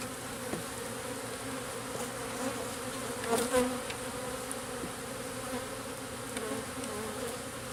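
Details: Continuous humming of many local bees as they are placed into a garden-style hive in a backyard, over days one and two; the drone swells slightly midway with a couple of soft knocks.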